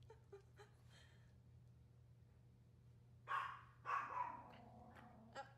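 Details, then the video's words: Maltese dogs barking at the birds on a hot summer day: after a quiet stretch, two loud, harsh barks come about a second apart, followed by a softer yip, over a steady low hum. "Dolce does her Bark Backbend"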